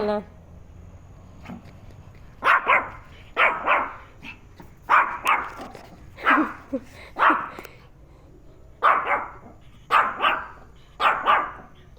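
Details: Pet dog barking while reacting to a turtle indoors: sharp, loud barks in quick pairs and triplets, about ten across the clip, after a brief stretch of soft talk at the start.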